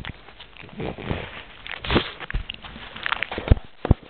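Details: Squishy eating sounds from a pug with a peanut, soft wet smacks and lip-licking clicks coming roughly two or three per second, ending with two crisp taps.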